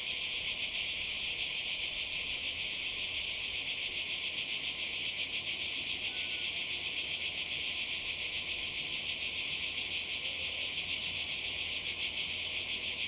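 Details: Croatian coastal cicadas in summer produce a long, relentless high buzzing, shimmering with fast uneven pulses about three times a second; the chorus stays level for the whole stretch, broken only by a tiny faint chirp midway.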